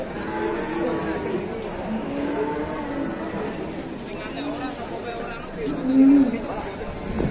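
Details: Cattle being unloaded from a swaying truck give long, low, drawn-out moos with stacked harmonics. A louder bellow swells near the end, while people talk in the background.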